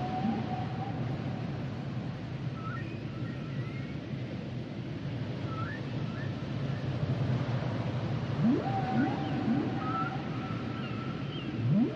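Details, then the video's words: Humpback whale singing beneath the surface, sustained flat tones and short rising chirps, then quick upswept whoops near the end, all over steady deep ocean rumble. "Sounds and Songs Of The Humpback Whales"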